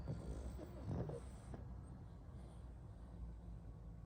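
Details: Sleeping pug snoring: a burst of low, rough, snorting breaths in the first second and a half, then fading into a quiet low rumble.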